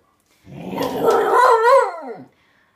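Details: An 11-year-old Bull Terrier performing for treats gives a wavering, tuneful howl that rises, wobbles, then slides down to end.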